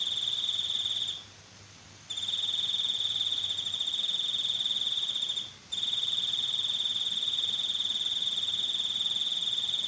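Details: Continuous shrill cricket trill, fast pulsing and even, interrupted by two short gaps of quiet; a faint low hum in the background early on.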